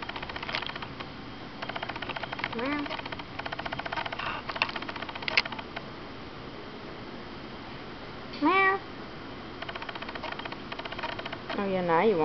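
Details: Indoor domestic cat meowing for attention while a sand boa draws another cat's interest: short meows around 2.5 s, a loud rising meow near 8.5 s and a drawn-out wavering meow at the end, with faint clicking and a woman's voice.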